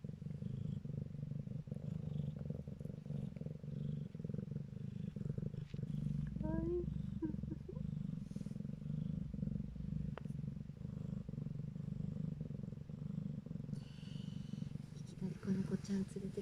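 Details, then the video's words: Calico kittens nursing from their mother purr contentedly, a steady low rumble pulsing on and on without a break. "ゴロゴロ〜。ご機嫌🐈仔猫ちゃんたちのゴロゴロ音 Kitten rumbling sound （Calico cats）"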